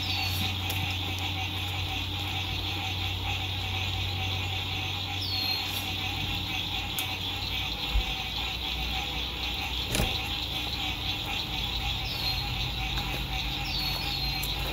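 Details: Lakeside frogs at sunset in spring 2021, heard from an RV campsite in good weather: an unbroken, evenly pulsed chorus. A few clicks and knocks from nearby movement, scattered descending bird whistles, and low road rumble mix in.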